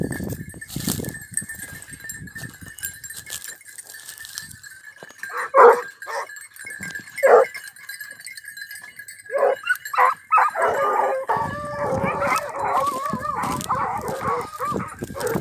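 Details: Basset hound and beagle hare hunting training in Cyprus; steady background hum, a few scattered short yelps, then overlapping drawn-out wavering bays from the hounds near the end.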